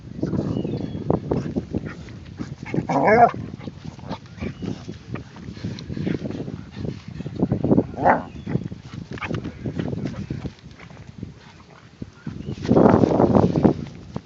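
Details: As a Pug attempts to mate with a Basset Hound, rapid panting and snuffling run throughout, broken by short rising whines and a louder, noisy burst near the end.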